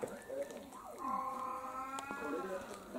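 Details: Kouchan, a house cat of about six years and one of six pet cats, staging a strike at dinner in December 2022: a long, drawn-out meow that rises and then holds a steady, harmonic-rich tone for about two seconds, over faint room noise.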